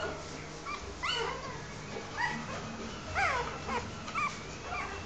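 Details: Newborn Rottweiler puppies give thin, high squeaks and whimpers, roughly one each second, while their mother nurses them.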